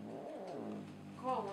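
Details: Female cat growling on meeting her brother for the first time in ten years; a low, drawn-out harmonic growl that wavers, then lifts into a higher, whining tone near the end.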